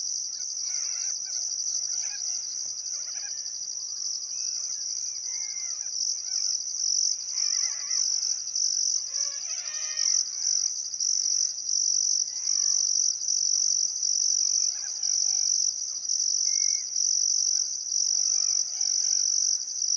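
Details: Summer-evening crickets by the Barcoo River, Welford National Park, Outback Queensland, keep up a constant shrill trill with pulsing upper chirps, joined by sporadic soft bird calls and brief warbled phrases.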